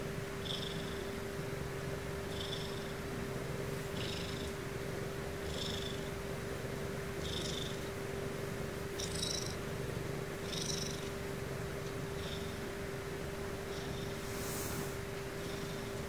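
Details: Pet Ragdoll Sumomo purring while settling down to sleep indoors. A steady low rumble runs throughout, with breathy pulses about every two seconds and a constant background hum.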